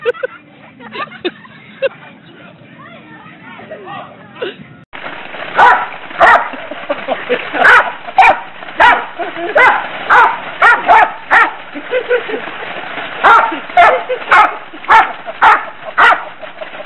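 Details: Dog reacting to Fourth of July fireworks with loud, sharp barks repeated roughly twice a second in uneven bursts, after several seconds of people talking.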